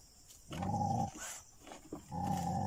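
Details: Dogs attacking jungle cats near Chilaw, Sri Lanka: two rough, sustained growling snarls, each lasting about half a second to a second, with a quieter gap between them and faint background noise.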